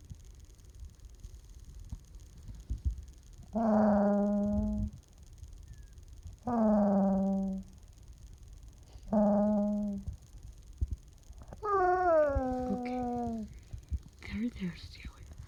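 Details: Young puppy indoors making groaning Chewbacca-like whines when petting stops; four drawn-out, harmonic moaning calls about a second and a half each, spaced roughly three seconds apart, the last sliding downward, with quiet room noise between.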